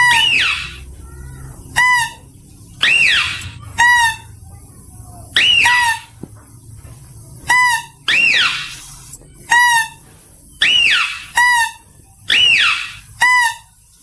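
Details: Clear mouse-deer voice used for luring: a long run of short shrill squeals, some arched and falling, others brief buzzy bursts, repeated roughly once a second with quiet gaps between.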